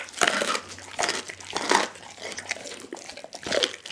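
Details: Pit bull named Dougie eating a whole raw chicken: wet, crunchy chewing and crackling bites in irregular bursts, with sharp crunches separated by quieter smacking, recorded close up indoors.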